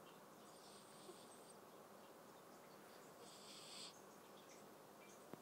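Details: Awar, a household's eldest pet cat, dreaming and breathing hard in its sleep, often with eyes open: two soft hissing breaths, each about a second long, over a steady low room hum.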